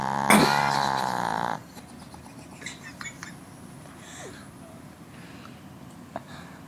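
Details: Snoring from a sleeping Northern dog: a loud, buzzy, harmonic breath fills the first second and a half, then breaks off into quiet room noise with a few faint clicks.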